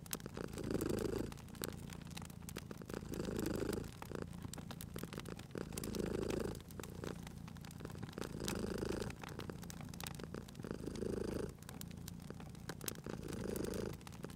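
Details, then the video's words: Cute cat sleeping at a crackling fireplace, purring in slow rhythmic waves, each rumbling swell lasting about a second and returning roughly every two and a half seconds, with steady snapping and popping of the fire. "Cute Purring Cat at a Crackling Fireplace"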